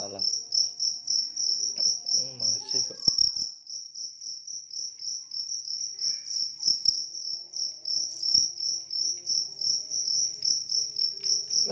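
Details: A large cricket sings a high, rapid, pulsed chirp that repeats almost without pause, with brief low knocks and faint murmur in the background.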